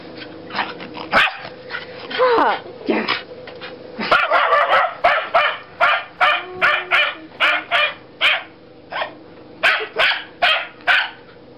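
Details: Wire Fox Terrier named Fudge playing in the snow, giving a few scattered yips and then sharp, regular barks about twice a second in a steady series, with people's voices briefly heard early on.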